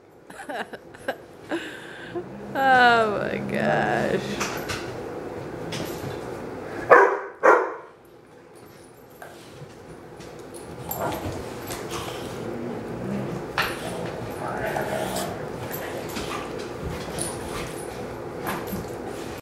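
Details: Four dogs wrestling in play: a black Lab mix, a Great Dane mix, a German Shorthaired Pointer and a Bloodhound. Scattered barks, yips and a drawn-out whining cry come amid scuffling, with people speaking throughout.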